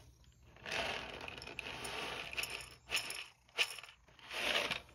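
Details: Bristly brushing strokes come in bursts, with small clinks between them, and no animal voice is heard.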